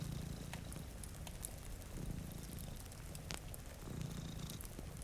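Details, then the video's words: Low, throbbing purr from a sleeping house cat, one of two resting in front of a rainy window, pulsing in phrases about every two seconds amid fireplace crackles and soft rainfall. "Purring Cat"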